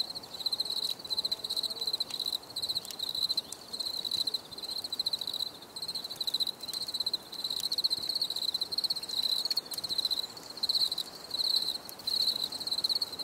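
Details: Continuous cricket chirping in a long series of shrill pulsed bursts with short regular breaks, set against a quiet, even background hiss.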